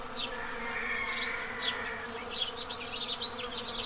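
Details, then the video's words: Western honey bees at their hives in Pennsylvania, in the path of totality during the total solar eclipse of April 8, 2024, hum in a steady, low, layered buzz while house sparrows chirp brightly and repeatedly. "Buzzing In The Dark: How Honey Bees React To A Solar Eclipse"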